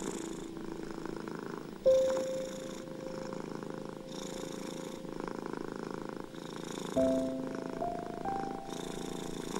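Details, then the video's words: Domestic cat purring, a steady low rumbling pulse running under soft piano music with held notes, meant as soothing sound for anxious, ill and stressed cats. "Cat Purring Sounds and Piano Music ♬ Deep Soothing Music for Anxious, ill and Stressed Cats!"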